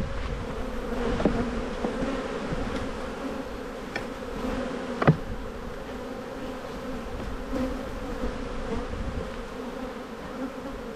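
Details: Honey bee colony in a beehive at spring buildup, heard during an inspection. A steady, even hum with clear low tonal bands lasts throughout, broken by a sharp knock near the middle and a few faint clicks.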